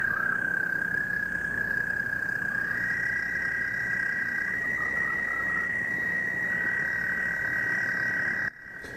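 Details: American toad calling in Metro Detroit wetlands, an example sound for a frog and toad survey: one long, steady, high musical trill held for about eight seconds, stepping slightly higher early on, over a hiss of background noise.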